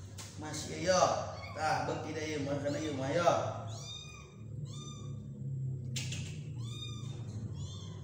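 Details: Small kitten being spoon-fed by people: after a few seconds of a man talking, a string of short, thin, high-pitched mews follows, about seven or eight quick calls in bursts, with soft room background.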